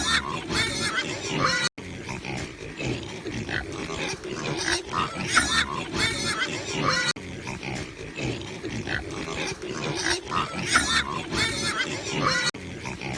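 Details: Piglets on a farm squealing and screaming in harsh, high bursts, with grunts underneath.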